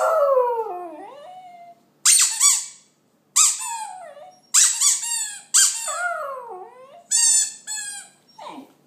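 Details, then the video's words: West Highland White Terrier singing: opens with a long descending moan, then short squealing yelps alternating with sliding howls, ending in a quick falling whimper. "Westie singing"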